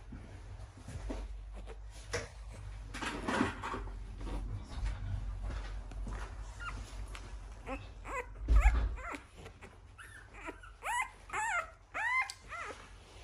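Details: Male American Bully puppy, one week old, at a kennel in Romania; after several seconds of rustling and low handling noise come short high whimpers, then a run of rising-and-falling squeaky whines in the final seconds.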